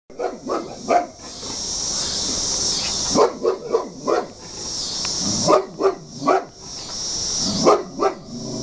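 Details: Large bulldog barking in agitation at a picture it hates: sharp, harsh barks, some doubled or in quick triplets, at irregular intervals, over a steady high hiss.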